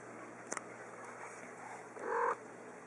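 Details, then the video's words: Sukii, a small three-year-old female house cat, gives one short, clear meow lasting about a third of a second near the end while playing fetch with her ball. Two faint clicks come earlier over low background hiss. "Cat Plays Fetch and Meows"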